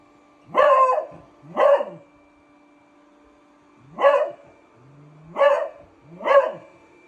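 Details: A beagle barking at a robot vacuum cleaner indoors: five loud, full barks, two close together, a gap, then three more spaced about a second apart, with a steady low machine hum underneath.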